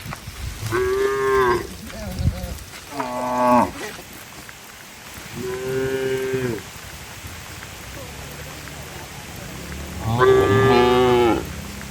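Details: Herded cattle in heavy rain on the way home to the shed in a village setting, giving four moos spaced about three seconds apart, mid-pitched and nasal, the last loudest, over a steady hiss of rain.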